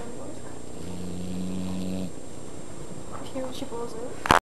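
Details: A sleeping Pit Bull snoring, a low rumbling drone lasting about a second and a half, followed by quieter breathing noises and a sharp click at the end.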